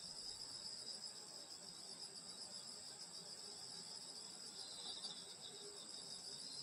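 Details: Countryside summer night chorus of grassland insects near a grandmother's house in Korea, a continuous high-pitched ringing drone in several stacked bands, even in loudness throughout with no other clear sounds.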